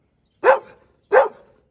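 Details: Dobermann at a large kennel giving two short, sharp barks roughly 0.7 seconds apart, each a sudden loud burst that decays quickly into silence.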